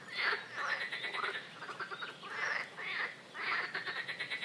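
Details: Swamp frog chorus of buzzy, pulsed croaks, each burst starting with a quick upward sweep and repeating roughly twice a second. Neighbouring callers overlap.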